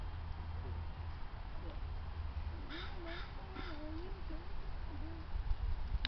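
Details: At Woodland Park Zoo, an eastern grey squirrel that escaped up a tree from a stalking maned wolf barks at the wolf with a few harsh, raspy barks over a heavy low rumble of wind.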